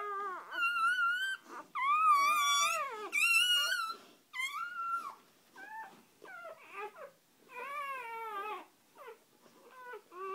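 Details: Dog family moments after birth, the mother with three newborn puppies; a run of shrill, harmonic squeals and whines, several long wavering cries then quicker choppy yelps, fairly steady, against a quiet indoor background.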